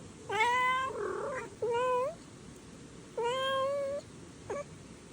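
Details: Street kitten meowing, a long meow blurring into a rougher wavering cry, then a short rising meow, another long level one and a brief final squeak.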